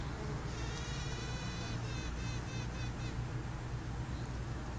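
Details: Honey bee queen piping while roaming freely in the colony, a signal she is ready to head it: a series of short pulsed tones, rich in overtones, repeated over the first three seconds above the loud low hum of the hive.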